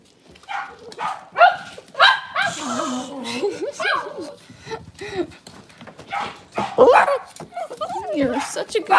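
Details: Cavalier King Charles Spaniel puppies indoors in a kitchen on a cloudy Monday morning, giving high wavering whines and short yips in quick bursts, with people talking throughout.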